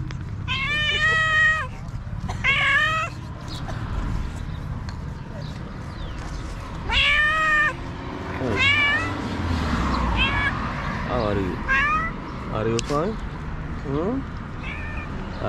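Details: Stray cat on a street in Morocco, waiting for trash to be thrown out so it can find food, gives loud drawn-out meows with rich harmonics, several in a row, mixed with shorter mews and a person talking to the cats.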